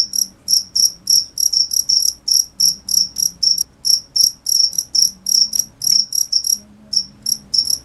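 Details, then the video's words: Cricket call of quick high chirps in uneven clusters, about three per second, some run together, with a gentle low background murmur. "cricket sound"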